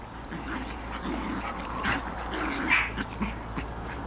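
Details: Japanese Chin puppy playing with a Collie and tormenting it: soft, brief whimpering and yipping bursts scattered irregularly, roughly once a second, over a steady low hum and faint background noise.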